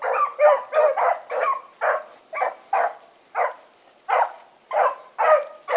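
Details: Blackreek pack dogs Choco, Dino, Johnny Ringo and Mingo turned loose on an evening run, 16 August 2014; separate sharp barks in an uneven series, some in quick pairs, over a constant faint high-pitched tone.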